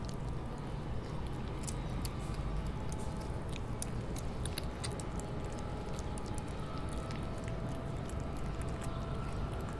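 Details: Kittens eating wet food, recorded close up for ASMR: wet clicking, smacking and squishing chews in quick irregular bursts over a steady low rumble, with no calls or voices.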